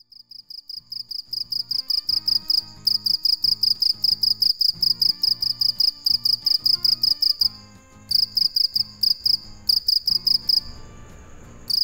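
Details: Cricket (dế mèn) chirping at night: high, rapid pulsed chirps in long regular trains, broken by short pauses near the third and eighth seconds, over soft background music.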